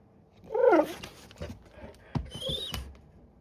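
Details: Great Pyrenees puppy in crate training, not yet happy with it, calling for attention with a short wavering whine followed by softer squeaks, shuffles and knocks.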